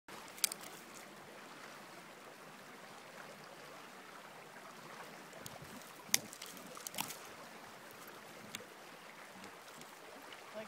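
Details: Quiet, steady trickling like running water, with scattered sharp clicks and taps and no animal voice.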